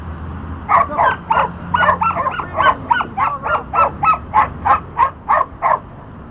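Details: Border Collie Dante barking during disc dog training on the back vault: a rapid, fairly even series of about fourteen loud barks, roughly three per second, over a low steady hum.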